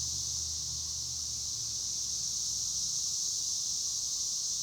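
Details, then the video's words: Cicadas in a loud chorus beside a small maize plot, an unbroken high-pitched shrill drone, steady throughout and pulsing about four times a second, with faint low rumble underneath. "El sonido de las chicharras"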